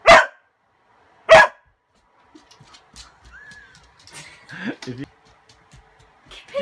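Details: Indoor dog, afraid of a broom, barking because his toy is stuck under it: two loud sharp barks about a second apart, then quieter rustling, short whines and a person's voice.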